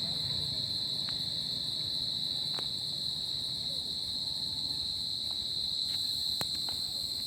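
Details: Summer-night cricket chorus: one unbroken high-pitched ringing trill with a thin, fainter ring above it. Sparse faint clicks and a soft low background murmur sit beneath.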